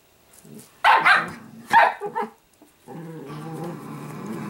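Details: Italian greyhound puppy named Sparkle, kept as a pet: two sharp barks followed by a low, steady harmonic growl that drones on to the end.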